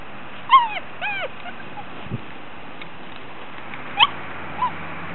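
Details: Six-week-old Gordon Setter puppies playing in the sunshine in 2009: two quick, high, whining yelps that bend downward in pitch, a soft thump, then two brief squeaks near the end over a quiet hiss.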